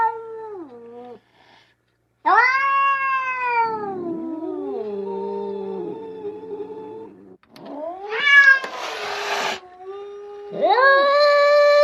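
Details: Domestic cat repeating meows. Each one falls in pitch, and some are drawn out and wailing, while others are sharper, rising cries, followed by a short hiss-like burst. Brief pauses fall between the calls.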